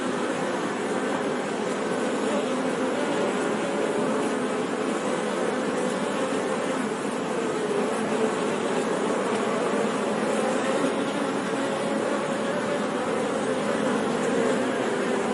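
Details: Honey bees buzzing in a steady, dense, unbroken hum that holds a low droning pitch with faint overtones throughout, with no pauses or other clear sounds.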